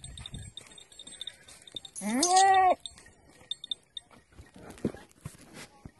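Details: Beetal goat mother with her kid gives a single loud, wavering, slightly rising bleat lasting under a second midway, set against faint rustling, soft thuds and low background noise.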